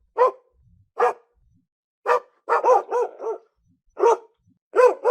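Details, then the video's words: Domestic dog at home barks repeatedly, mostly single sharp barks with a quick rapid burst of three or four in the middle, all on a clean silent background. "SOM DE CACHORRO"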